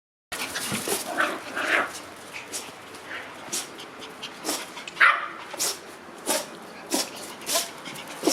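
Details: Black Shiba Inu sneezing repeatedly indoors: short sharp broadband bursts roughly every second or two, some louder than others, with faint snuffling between them and a quiet room background.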